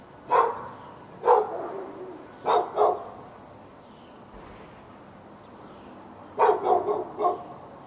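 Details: Dog barking continuously at the dog next door in Raleigh, North Carolina, February 15, 2012, from morning into afternoon. Spaced single barks, then a close pair, a quiet gap of several seconds, and a final cluster of four fast barks.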